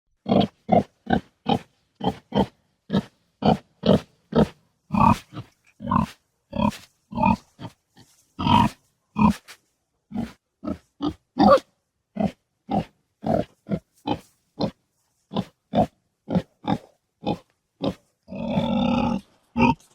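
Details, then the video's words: Domestic pig in a pigsty giving a rapid run of short, low grunts, roughly two per second, each clipped and throaty, with a longer drawn-out snorting grunt near the end; no other sounds. "SOM DE PORCO"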